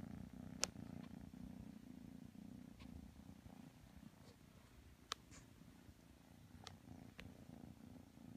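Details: Steady low purr from kitten Matsumoto, cuddled up against Tanka the pit bull, with scattered brief clicks and faint rustling over the continuous rumble.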